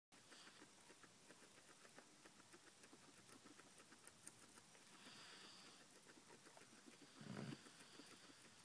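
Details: Guinea pigs eating cucumber as a night-time snack, a steady run of soft, rapid crunching clicks throughout, with a brief louder rustle near the end.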